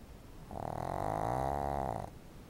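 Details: Sleeping pet dog snoring indoors: one drawn-out snore of about one and a half seconds, a steady buzzing rattle carrying a humming tone, in an otherwise quiet room.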